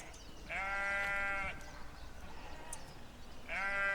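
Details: A sheep gives one long, quavering bleat lasting about a second, then a pause, then a second bleat begins near the end.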